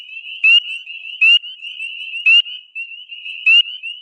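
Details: A spring peeper (Pseudacris crucifer), a tiny frog, gives loud, high, upslurred peeps about once a second over a shrill chorus, in early April.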